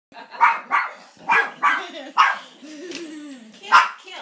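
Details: Molly, a pet Maltipoo, barking at an oil painting of a grandfather: sharp broadband barks in irregular pairs, with low whining growl-like tones between them and a final bark after a pause.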